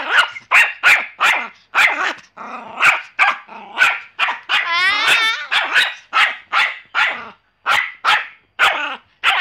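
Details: Rapid high yapping from a Pomeranian, barks coming several per second almost without pause, with one drawn-out whining yelp in the middle before the quick barking resumes.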